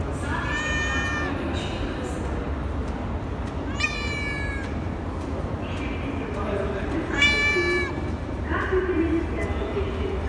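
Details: Talkative cat in a metro station, giving three harmonic, slightly rising meows spaced a few seconds apart over a steady low rumble of station noise, with faint softer calls between.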